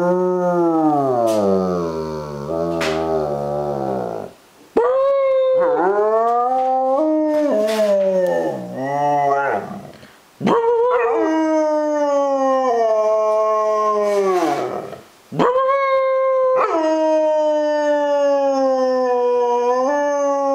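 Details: A female German Shepherd, reluctant at first, gives sustained howls rising from a low quavering start into steady, wobbling tones, each four to five seconds, with brief breaths between.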